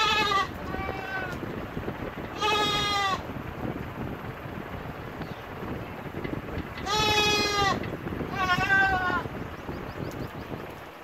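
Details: Goat calling with four short-to-medium bleats in two pairs, some steady and some wavering or quavering, over a constant rustling, noisy background.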